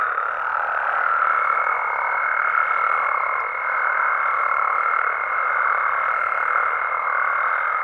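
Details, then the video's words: Frogs and toads of Mexico at night, a continuous massed croaking chorus with a clear, level high tone sustained over it from about one second to the end, swelling gently every few seconds. "Mexican Frogs & Toads Sounds"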